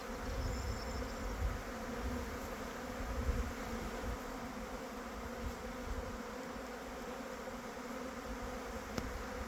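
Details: Honey bees humming: a continuous, even drone of many bees with low rumbling handling or wind noise underneath and an occasional faint click.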